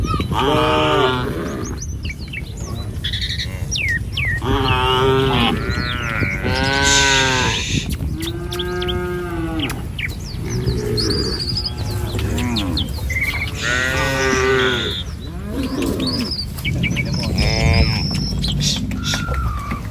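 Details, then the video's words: A file of tame village cattle crosses a wooden bridge by the rice fields on the way to pasture. Many moos overlap and follow closely for twenty seconds, some rising and some sagging, with frequent bird chirps above. "Gembala Krumunan Sapi Lembu Jinak Berjejer Melewati Jembatan Kayu Menuju Rumput Sedap Suara Moouu"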